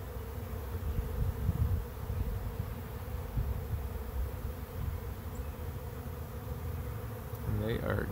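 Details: A steady, deep buzzing drone comes from a bee swarm moving into a swarm trap, swelling slightly in loudness, with a brief human voice near the end.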